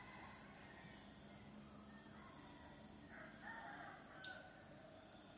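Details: Cicadas, males calling to attract mates: a steady, shrill, high-pitched drone holds unbroken throughout, with faint short bird notes around the middle and a soft, noisy background.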